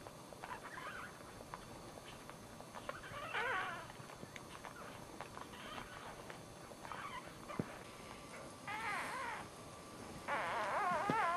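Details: A newborn male Dachshund puppy, the first of the litter, gives thin, high, wavering squeals during the birth, loudest and longest near the end.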